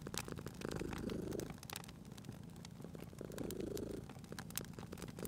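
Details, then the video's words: Cat purring at a crackling fireplace, a gentle low buzz that rises in two drawn-out surges, partly masked by frequent sharp snaps of the fire. "Cute Purring Cat at a Crackling Fireplace"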